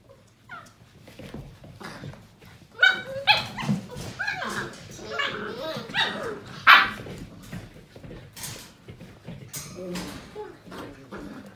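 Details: Litter of Portuguese Water Dog puppies, seven weeks old, playing indoors: a run of high yelps, whiny cries and short barks, some sliding up and down in pitch, over steady scrabbling and bumping noises.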